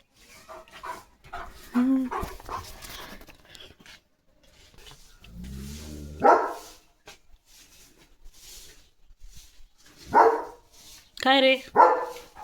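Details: German Shepherd guarding the gate, barking fiercely at a herd of sheep passing outside while running and dancing. Scattered loud, sharp barks, some in quick pairs near the end, with a man's talk in between.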